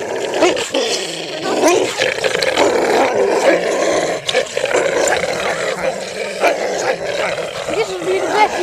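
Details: Dog growling during a game of tug of war, a rough continuous rumbling growl with sharp yelping bursts and barks throughout, while people talk over it.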